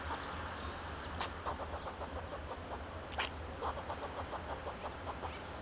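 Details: In Del Monte Forest, California, a fox squirrel on a Monterey pine sounds alarm to guard itself and its territory: two strong harsh barks amid rapid softer chucking pulses, with high bird whistles and a low rumbling hum underneath.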